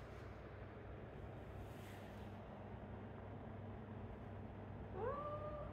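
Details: A cat playing with a ball in a space that has become wider gives one short meow near the end, rising then holding level, over a steady low hum.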